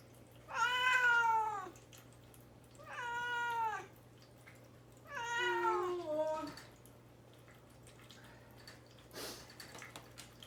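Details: Young male cat caged indoors and fasting before neutering, crying to be let out: three drawn-out, downward-sliding meows about two seconds apart, with quiet room hum and a faint click near the end.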